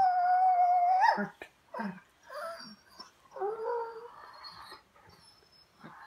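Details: A German Shorthaired Pointer talks back: a sustained, whining tone that rises sharply and breaks off, then a series of short grumbling, moaning yips and a longer warbling whine, indoors and close.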